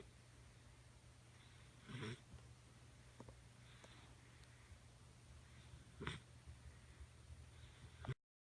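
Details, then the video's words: Khaleesi, a nine-week-old Doberman puppy, snoring while asleep on the couch: soft breathy snorts recur at intervals of a few seconds over a low steady indoor hum. "Doberman Puppy Snoring"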